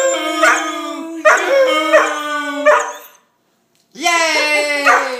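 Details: Poodle howling to the Happy Birthday song. Three bright, strained howled phrases over a steady low sung note, then a brief silence, then a new rising howl.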